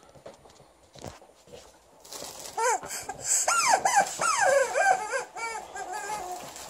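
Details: Liza, a female Alaskan Malamute, angrily vocalizes at her new chicken toy: a run of rising-and-falling, harmonic woo-like yowls in quick succession, preceded by a quieter stretch of thumps and faint sounds indoors.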